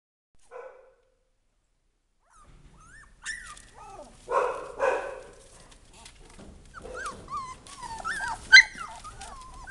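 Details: Texas Heeler puppies making high whimpering and whining calls, a brief whine near the start, then overlapping rising and falling squeaks growing busier and louder toward the end, with a few sharper yips.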